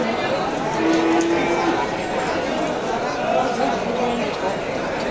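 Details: Breeding cows (babon) at a cattle market in East Java, Indonesia: one low, steady moo lasts about a second near the start and rises above constant trader talk and crowd chatter. Fainter, shorter moans follow later.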